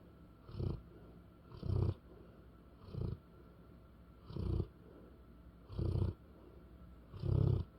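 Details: Molly, a pet English Bullmastiff, snoring: six low, rumbling breaths spaced roughly a second and a quarter apart, each a coarse throaty rasp, in a quiet room.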